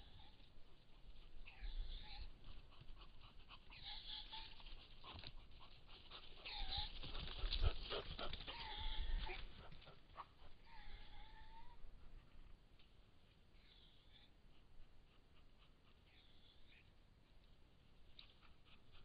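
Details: Roe deer in rut, filmed on 20 July 2016: a series of short, nasal, peeping calls with stacked harmonics, about six spaced through the first twelve seconds and then fading, over a soft rustling outdoor background.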